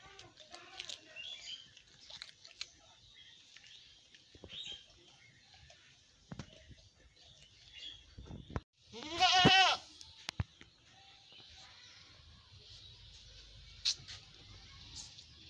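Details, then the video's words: A black goat gives one loud, quavering bleat amid quiet rustling and faint background chatter. "Cute Goat sound"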